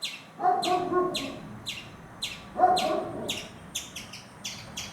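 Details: Frightened squirrel calling: a run of short, sharp chirps, each sweeping downward, repeated roughly every third of a second and speeding up near the end, with two harsh buzzy bursts near the start and middle.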